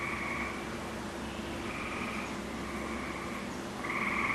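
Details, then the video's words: Gray tree frogs calling in a wolf enclosure in June 2010 after recent rain; fainter overlapping pulsed trills sound from a distance, with the loudest trill at the end, over steady background hiss. "gray tree frogs are singing"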